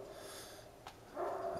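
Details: One of two large Great Pyrenees guarding an alpaca herd, barking at 8am on Nov 30, 2010 with no visible provocation, gives a single deep, hoarse bark after a quiet pause.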